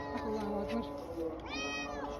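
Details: Somali cat in Hargeisa with a single clear rising-then-falling meow late in the moment, preceded by steady tonal background sound, possibly music or voices.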